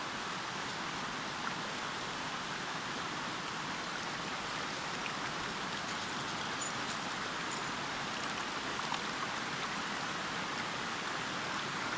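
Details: A steady rush of river water fills the air as broad, even noise, with no barking or other animal calls.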